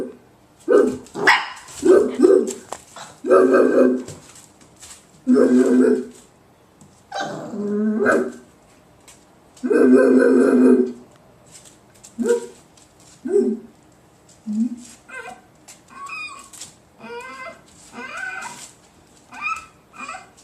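Puppies give a run of short yips, whines and squeaky barks, some drawn out and some clipped.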